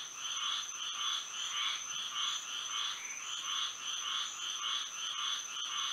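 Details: Moonlit night in Florida with frogs calling: a regular train of raspy two-tone croaks, close to two per second, runs over a faint constant high-pitched hum.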